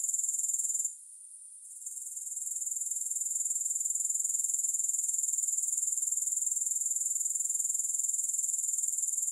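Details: Grasshoppers producing a high, pulsing, hiss-like trill that drops briefly to a softer level near the start, then swells back to a steady, even chorus.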